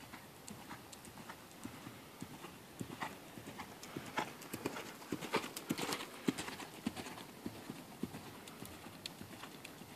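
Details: Hoofbeats of Ferozza, a mare born in 2009: sharp, irregular clops, roughly a hundred strikes a minute, growing louder and denser toward the middle, over a low steady background hum.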